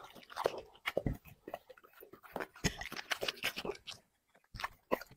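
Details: Dog eating chicken and vegetables in an ASMR mukbang, five plates served: wet crunching bites and chewing come in dense bursts, with a short silent pause near the end before a few more sharp crunches.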